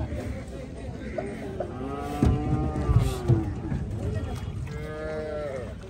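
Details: Cattle unloaded at Gabtoli cattle market, Bangladesh: moderate, long, harmonic lowing calls with a slow rise and fall, against a busy background of voices and knocks.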